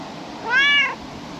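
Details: Calico cat perched on a table in a park, bathed in evening sunlight, utters a single brief, bright meow lasting under half a second, with quiet ambient noise around it.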